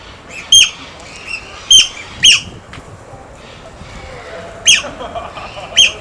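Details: Playing otters, handling stones, make loud piercing squeaks in short bursts, a cluster of three in quick succession, then a pause before two more, with softer chirps in between.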